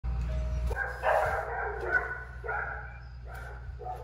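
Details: Pit bull during a dog training session, giving a few deep, harmonic barks spaced about a second apart over a steady low hum, with brief clatter in between.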